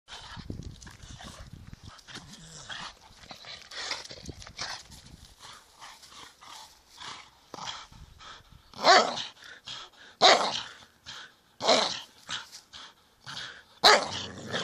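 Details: Staffordshire Bull Terrier barking: low scattered noises early on, then loud, sharp, broadband barks at irregular intervals in the second half, roughly every one to two seconds.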